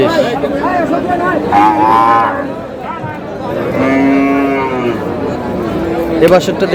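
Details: Female cattle for sale at the Aftabganj haat in Dinajpur, Bangladesh: a short rising low, then a longer sustained moo midway, over loud market voices and crowd noise.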